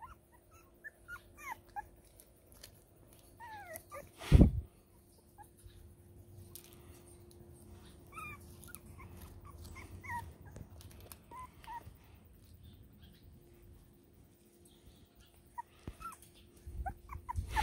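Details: Five-week-old Border Terrier puppies whimpering: many short, thin, rising squeaks scattered through the recording, with one loud thump near the middle and a low background hum.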